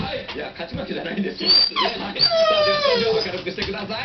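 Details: COCO, a pet dog, whines discontentedly indoors while pacing back and forth because the Japanet company president fails to appear on the TV shopping show; a high, drawn-out falling whine sounds over steady television speech.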